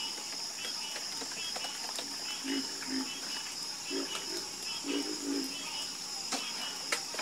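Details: Low, clipped frog croaks in a night chorus, arriving singly and in pairs every second or so, layered over a constant high buzzing of insects.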